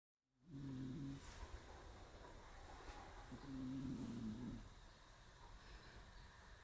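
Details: Shiro, a pet cat, asleep curled up on a round stool on an early March day, snores in two long, low, droning breaths about three seconds apart, with a faint background hum.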